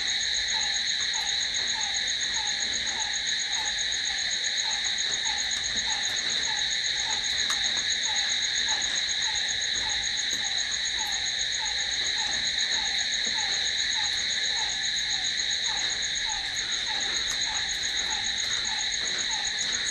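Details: Long stretch of crickets singing at night: steady, unvarying high trilling in stacked bands. A short falling note pulses regularly underneath, with scattered faint ticks.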